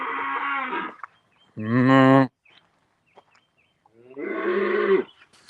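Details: Cows (Bos taurus) give loud, drawn-out moos, three harmonic-rich bellows separated by short pauses, in the countryside in Louisiana.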